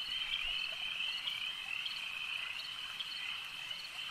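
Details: Frogs calling at a lake at night-time ambience: a dense, steady high-pitched trilling chorus of many callers, with brighter pulses standing out roughly twice a second over a constant shimmering wall of sound.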